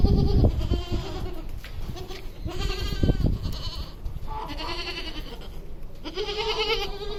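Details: Goats on a goat farm: several wavering, nasal bleats, some overlapping, each lasting about a second, over steady farmyard background noise.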